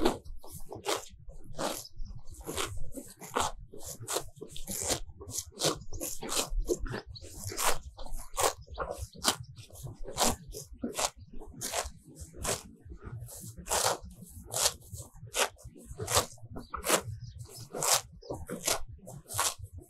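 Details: Close, crisp crunching and tearing of fresh grass, repeated roughly every second, as cows pull it off with their tongues while grazing contentedly in a sunny pasture; no mooing.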